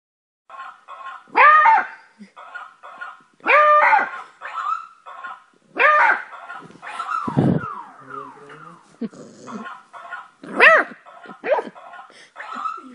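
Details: Beagle puppy named Louie, eight weeks old, giving loud harmonic yelping barks in bursts about every two seconds, some notes arching up and down, with quieter low murmuring sounds between the bursts.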